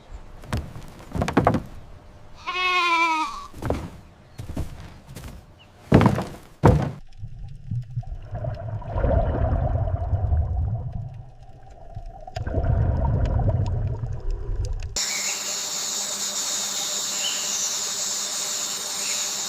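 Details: Goat gives one short, wavering, tremulous bleat, set among thuds and knocks, then rumbling noise and a steady hiss.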